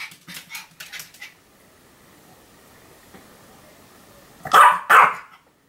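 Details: Pomeranian Sam barking, October 2015: a quick flurry of softer, fainter yaps at first, a hushed pause, then two loud, sharp barks in quick succession at the end.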